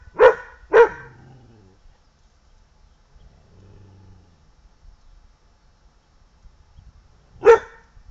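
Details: English Pointer dog barking: two sharp, loud barks close together at the start, a quiet low rumble in the middle, then one more bark near the end; otherwise quiet.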